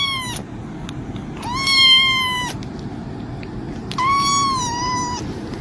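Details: Kitten meowing three times: clear, drawn-out, slightly falling cries about a second long, spaced roughly two seconds apart over a steady low background hum.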